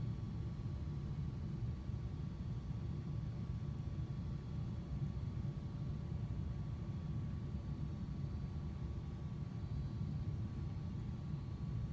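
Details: Even low-pitched hum and hiss that runs without a break, with no animal voices.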